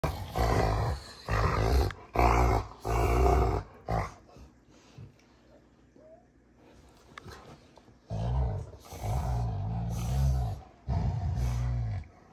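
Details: Rottweilers June and Kenai play fighting on a ranch, deep rumbling growls in loud bursts for the first four seconds, a quieter stretch of scuffling, then another run of throaty growls near the end.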